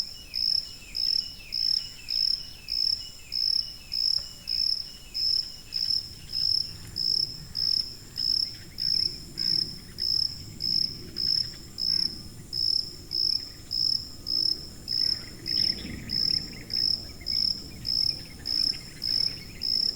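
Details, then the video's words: Long sequence of evenly spaced, piercing cricket chirps, about two per second, steady trilled bursts with quiet gaps, accompanied by faint sweeping chirps early on and a low murmur of background noise. "고주파_귀뚜라미3 / High-Frequency_Cricket3"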